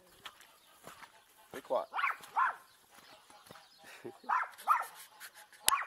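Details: Dogs having a ball on a wet farm, recorded on an Insta 360 EVO; a person talks to them between bursts of high, yelping barks that come in pairs, with rustling and clicks around.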